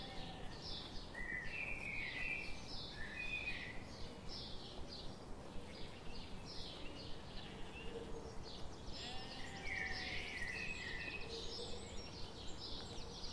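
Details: Sheep grazing among forest trees in the morning sun; a flock's overlapping bleats with vibrato come and go over a steady background of regular soft clicks.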